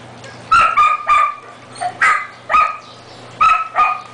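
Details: Siberian Husky pups, four weeks old, eating on 10 May 2009, give a run of high whining yips in pairs, each with a sustained steady pitch, repeated about every half second with short pauses, over a low constant hum.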